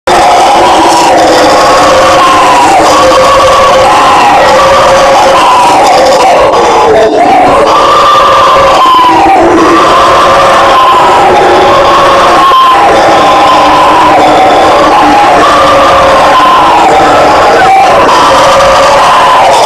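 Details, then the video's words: Howler monkey (bugio, guariba) of Brazilian fauna roaring: a loud, continuous chorus of overlapping hoarse, droning voices that swell and dip in pitch over about twenty seconds, with a few brief breaks near the middle. "SOM DO MACACO BUGIO, Barulho de Bugio!"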